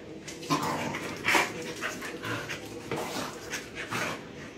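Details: Puppy Shiva playing with visiting dogs Tessa and Jack, who keep her from being pushy; rough growly yips and grumbles in uneven bursts through the whole stretch, with scuffling movement behind.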